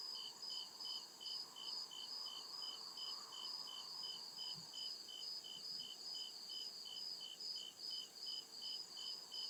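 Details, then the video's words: Crickets calling at night in deep forest, regular high-pitched chirps over a sustained shrill drone; a faint lower hum early and a couple of soft low thumps near the middle. "CRICKET CHIRPING SOUND"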